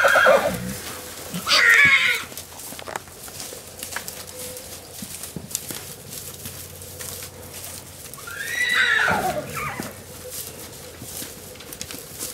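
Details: Bachelor stallions among wild horses in Arizona, challenging other stallions: two loud whinnies about seven seconds apart, each a shaky high cry that drops in pitch as it fades, with a steady low hum and scattered hoof and ground noises between.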